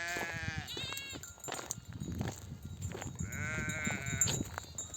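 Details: Mother sheep in a nomadic flock, back from desert pasture, bleat to call their lambs to nurse: two wavering, nasal bleats, one near the start and one near the end, with trampling, rustling and the low bustle of the flock between them.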